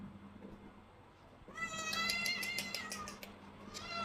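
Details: A cat gives a long, high, wavering meow rich in harmonics, starting after a quiet second and a half and lasting about two seconds. A shorter, rising meow follows near the end, over a steady low hum.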